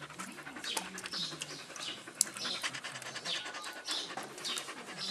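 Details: Six-week-old Australian Cattle Dog puppies from a litter, heard as soft, breathy, rapid panting bursts with faint high chirping in the background.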